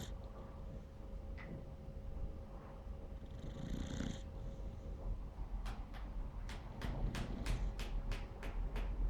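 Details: Asleep, a Beagle puppy snores with slow, low, rasping breaths, while a run of sharp ticking clicks sounds through the second half.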